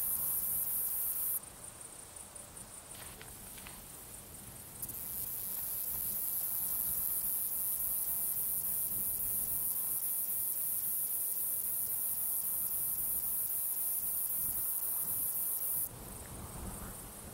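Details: A male fat-bellied saddle bush-cricket (Pycnogaster jugicola) sings its calling song on 17 July 2019 in the Sierra de Gredos, Spain. It is a thin, very high hiss held almost unbroken, briefly softening early on, against a quiet background.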